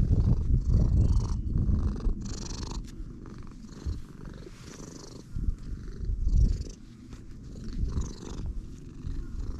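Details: Strong close purr from a stray cat met moments earlier, a deep pulsing rumble swelling and fading in waves, with brushing and rustling noises over it.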